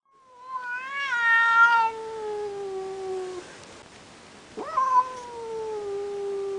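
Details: Indoor cat watching a rival cat through a window, giving long drawn yowls that waver then slide downward, a second rising-then-falling wail after a pause.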